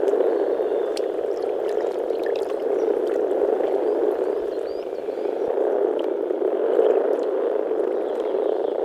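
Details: Male European common frogs (Rana temporaria) gathered to mate in an early-spring Czech forest pond give a dense, continuous, low grumbling, purring chorus through their vocal sacs.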